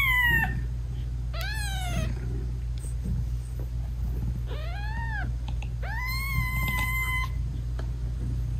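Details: Sweet meowing between a British Shorthair mother cat and her tiny newborn kittens as she nurses them; four clear harmonic meows, arched or flat and drawn out, spaced over several seconds above a faint low purr, no music.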